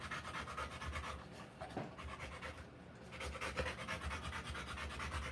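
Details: Female Rottweiler in labour during a live puppy birth, breathing in quick raspy pants about twice a second, with a short lull near the middle before the rapid rhythm resumes.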